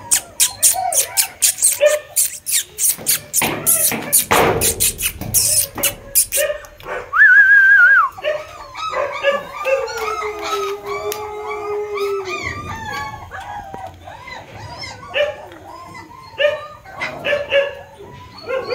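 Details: Kanni puppies at a breeding farm give drawn-out, wavering whines and thin howls, one steady low note held for about three seconds, mixed with sharp clicks and knocks, a brief high whistle-like tone and short yelps.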